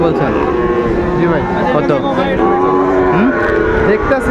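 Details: Sahiwal bull calves at a market in Kushtia, Bangladesh, 2 August 2024: a dense chorus of overlapping, wavering calf moos, one short upward-sliding call near the end, with constant background talk from people.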